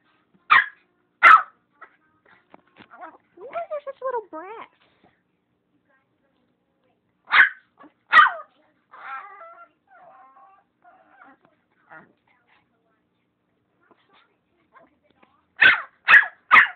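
Chihuahuas give sharp, high yapping barks broken by brief, wavering, whiny howls.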